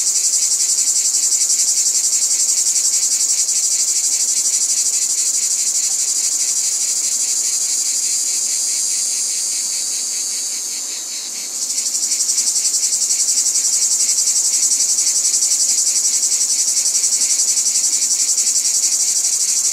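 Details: Many cicadas keep up a piercing, sizzling drone with fast regular pulsations, softening briefly midway and then swelling back to full intensity.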